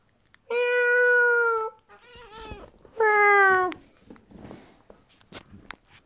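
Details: Female British Shorthair cat answering indoors as her owners call her, two long clear harmonic meows, the second falling slightly at its end, followed by soft voices and small room noises.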